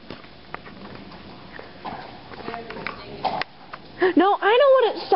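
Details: A donkey gives a squeaky, high bray of rising-and-falling notes, said to sound more like a bat, after quiet talking and background noise during a riding lesson on 10 June.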